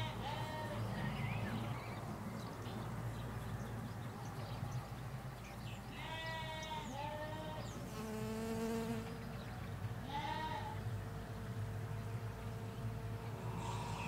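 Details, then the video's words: Ewes and lambs in a field in the Hampshire countryside bleat repeatedly: wavering, harmonic-rich calls at irregular intervals, several overlapping near the middle, over a steady low rumble of distant road traffic and faint bird chirps. "4K Sheep Field - One Hour Sound and Video"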